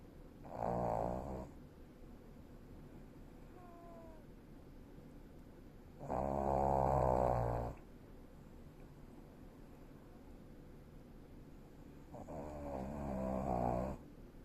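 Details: Elderly Shih Tzu asleep indoors, snoring in three loud rasping bursts about six seconds apart, each lasting one to two seconds, with quiet breathing between them in a small room.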